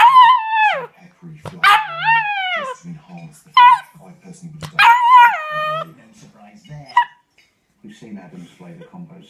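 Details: Pet dog talking back to its owner during a scolding, giving a series of drawn-out, whining howl-like calls that slide downward, with short gaps between them. A person's voice and faint background noise are heard too.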